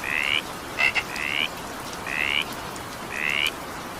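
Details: Frogs calling during evening rain: short rising trilled notes around a second long, repeated every second or so, some preceded by two quick clicks, over a steady hiss of falling rain.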